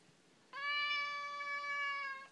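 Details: Indoor Siamese cat complaining, maybe wanting to eat; a clean, steady, prolonged meow of about 1.7 seconds, flat in pitch and strongly harmonic, starting abruptly after quiet.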